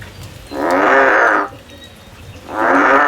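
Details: Male frog calling in a field: two sustained, buzzy, harmonic croaks about a second each, with a quiet gap between them and faint low-pitched background noise.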